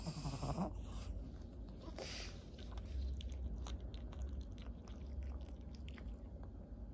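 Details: Senior fawn female Pug named Maria, thirteen years old, in Japan during October 2023: a brief low harmonic grunt opens, followed by soft snuffling and clicking mouth sounds against a constant low rumble.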